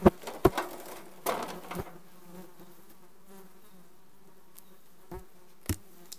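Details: Requeened honey bee colony in June 2020, low droning hum of bees under repeated sharp knocks and rustling bursts, heaviest at the start, then thinning to a steady hum with occasional taps.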